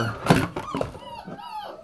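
Hungry puppies give thin, wavering whines after a dull knock.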